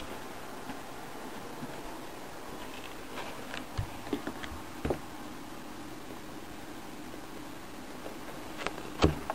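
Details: Quiet indoor room tone with soft scattered taps and rustles, brief clicks near the end, and no animal voice.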